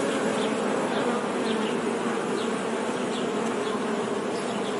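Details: Dense buzzing of honey bees, an even droning hum throughout, dotted with short faint high chirps from other small creatures in the background.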